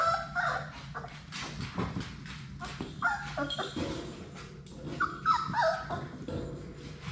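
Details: Six Labrador Retriever puppies, Sadie's litter, at play in their puppy play room; short high whimpers and squeaky yelps scattered among scuffling and thumping, with a steady low hum underneath.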